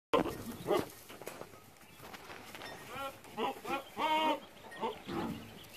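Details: Boer goats, newly acquired breeding bucks, at San Jerónimo Zoyatitlanapan: a few muffled noises early, then a run of wavering, harmonic bleats in quick succession from about three to five seconds, one ending in a short final cry.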